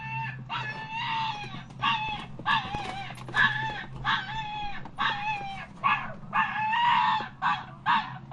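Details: Dog giving a rapid run of high, harmonic yelping whines, each short cry sliding slightly downward, about a dozen in eight seconds with brief gaps and a low steady hum underneath.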